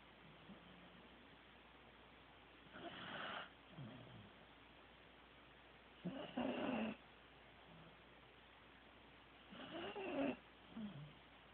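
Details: Corgi named Teddy snoring while asleep: three raspy, buzzing snores come roughly every three and a half seconds, each rising then falling, with faint breathing between them and steady background hiss.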